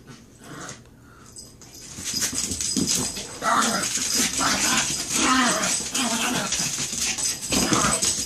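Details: Chihuahuas in a scuffle, quiet at first then rising into steady overlapping whines, yelps and growls in a small room, with some human speech behind.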